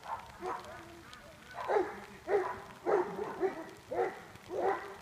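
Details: A young Greater Swiss Mountain Dog at work as a junior herding dog barks in a steady run of six short, sharp barks, roughly every half second, after quieter noise at the start.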